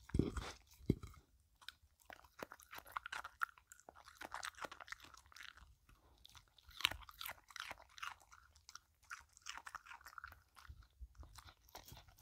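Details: Dog named Filou licking and chewing a cucumber snack, close-miked with no talking: sparse crisp crunches and sticky smacking clicks scattered across twelve seconds, quiet gaps between bites, a louder crunch near the start and another midway.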